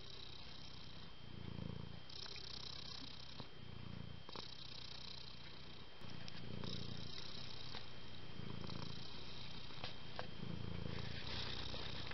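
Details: A house cat family, same-day-born kittens still living with their mother, purring: low throbbing bursts roughly every two seconds in a regular in-out breathing pattern, with a faint hiss and a steady high whine behind.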